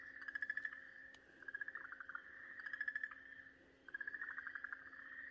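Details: Distress cries of an Okinawa green tree frog gripped by a garasuhibaa snake on 4 March 2023: rapid rattling bursts of pulses on one nasal pitch, repeated several times, joined by a sustained whine and a faint background hum.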